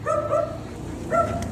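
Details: Belgian Malinois, hyper after just being let out of its cage, one of the pair Luna and Dax, whines in two drawn-out nasal cries, then a shorter third cry, with faint background hum.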